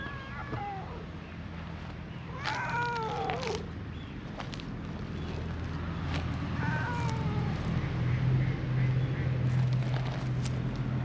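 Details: Petted in a park, a brown-and-white community cat meows cutely as it stretches: a brief first call, a longer wavering meow, then a softer third, with a steady low hum underneath.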